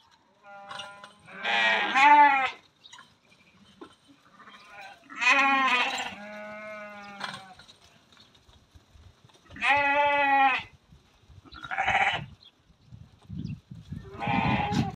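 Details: Thirty young Meatmaster ewes bleating in turn: long, quavering, strongly voiced bleats recur every few seconds, some loud and near, others fainter, with short gaps of quiet between them.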